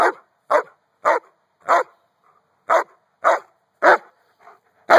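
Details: A Giant Schnauzer playing outside with a toddler gives a series of loud, gruff barks spaced about half a second apart, eight in all, with one brief gap midway.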